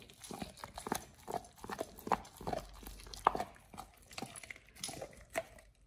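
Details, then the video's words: Oliang, a Pit Bull, eating a raw ostrich paw for the first time, as a snack for teeth polishing and jaw exercise; sharp wet crunches and bites come in quick irregular bursts, several per second. "Oliang the Pit Bull 1st time eats Raw Ostrich PAW [ASMR] BARF | MUKBANG 動物の咀嚼音 | 犬が生の肉を食べる"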